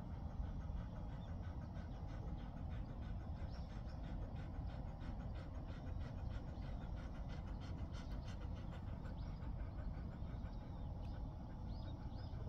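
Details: Ddaya, a ten-year-old male Jindo kept on a ship, resting during a morning walk on 29 September 2024 at 07:16, panting in quick, even breaths throughout under a heavy, steady low rumble.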